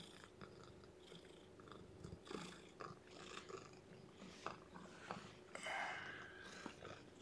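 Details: Weak newborn kitten losing weight, handled indoors for feeding and warming; soft rustling and faint squeaks build to one clear, tonal mew near the end, with small chewing or handling noises around it.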